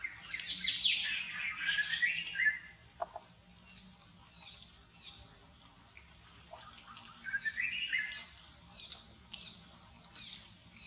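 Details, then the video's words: Monkeys fighting over a queen near a forest during a cruel attack: shrill, wavering screeches sweep high for about two seconds at the start, then a shorter squealing scream returns near the eighth second amid quieter background rustle. "Monkey Fighting To get a Queen Loudly Noise, Cruel attack near the Forest."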